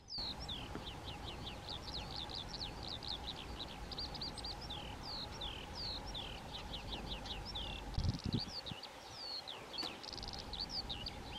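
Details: European ground squirrels (Spermophilus citellus) communicating vocally in their colony: steady stream of short, downward-sliding high whistles from several callers, a brief low thump near the eighth second, and constant low background noise.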